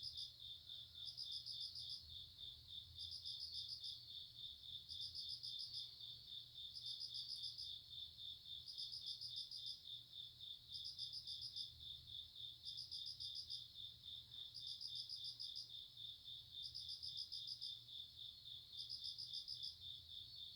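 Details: ['Grass insects heard for relaxation: a steady high shrill trill runs throughout, overlaid by bursts of rapid pulsed chirps about a second long, repeating roughly every two seconds, with a faint low hum underneath.']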